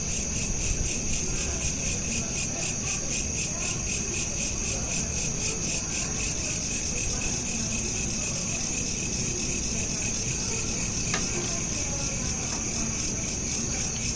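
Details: Night-time cricket chorus captured by smartphone: dense, evenly pulsing high-pitched chirps that run without a break, with a brief sharp click near the end and a soft low hum underneath.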